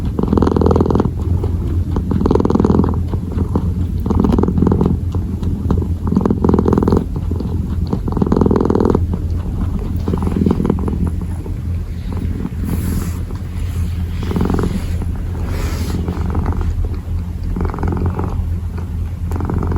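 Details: A kitten kneads and purrs, low steady rumbling with pulsing swells about twice a minute's rhythm, plus occasional soft clicks and rustles.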